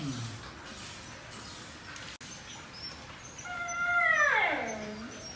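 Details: Siberian Husky, a show-quality puppy at a kennel in the Philippines, gives one long drawn whine that starts high and slides steadily downward before fading, after a quieter stretch of background noise.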